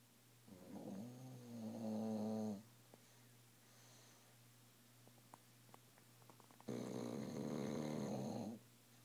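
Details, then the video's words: Dog asleep and snoring very loudly indoors: two long, rasping, harmonic snores, each about two seconds, separated by several seconds of quiet room hum with faint small clicks. "Tilly snores like a freight train"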